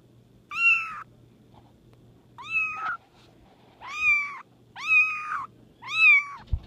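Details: Tiny hairless Bambino kitten, two weeks old and male, blue and white tabby with short legs and wrinkles, mewing insistently. Five loud, high, harmonic meows, each about half a second long, arrive roughly every second, over a faint steady low hum.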